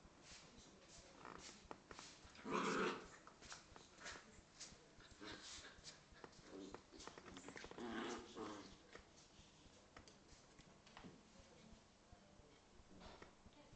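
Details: A Corgi and a Scottish Terrier playing indoors, with low rough growls through the clip, a loud burst of snarling near the third second and another round of growling near the eighth, plus scuffling and sniffing.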